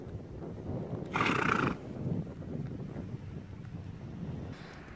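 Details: Star, an 8-year-old 13.3-hand sorrel Quarter Horse mare used for trail pleasure, gives a short bright whinny of under a second amid low rumbling outdoor background and hoof sounds, with a fainter echo of it near the end.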